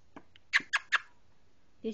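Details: Chocolate Labrador Retriever puppies bark after their supper, wanting to be let inside: three quick sharp yips in a row, then another a moment later, with quiet voices nearby.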